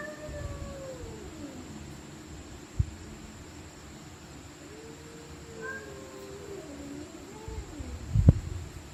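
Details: Stray cats fighting at night, giving long wavering yowls that slide up and down in pitch, overlapping low moans, with a sharp knock near the start and a louder thump near the end over steady low background hum.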